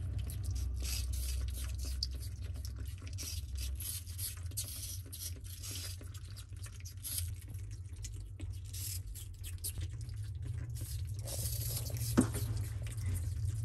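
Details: Whole family of pet common marmosets eating apple together, a dense run of wet, crunchy chewing and smacking noises repeating rapidly and unevenly over a steady low hum, with a sharp click near the end.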